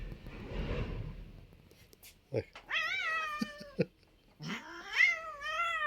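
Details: Pet cat meowing twice after a soft rustling start: a first drawn-out wavering meow, then a louder rising-and-falling meow, with faint taps between the calls.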